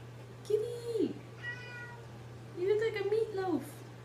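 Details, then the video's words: A domestic cat gives two drawn-out meows: the first level then dropping sharply at the end, the second longer and wavering before falling away. A soft, faint call sits between them over a steady low hum. "Silly meowing kitty"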